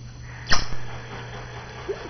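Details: Five-month-old dog named Tucker Phillip sneezes once, a short sharp burst of breath followed by quieter snuffling, with a steady low hum underneath and a person calling to him just before.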